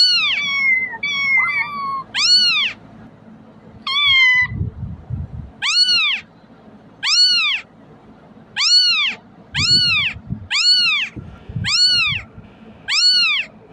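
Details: Kitten crying, used to lure cats closer: a few short broken high mews open, then steady arched meows follow about once a second, each rising and falling, with soft low rumbling between some calls.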